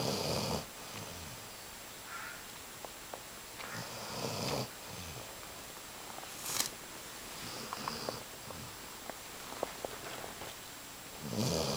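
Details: Basset Hound. A Basset Hound snores deeply, each breath a rough, rattling rush of air followed by a quiet pause. Faint clicks and small room noises sit between the snores.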